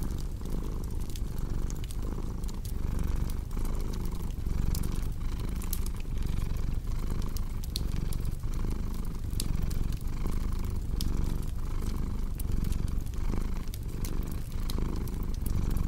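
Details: Long stretch of soft, even cat purring, each inhale and exhale marked by a gentle rise and dip, mixed with steady popping and crackling from a wood fire.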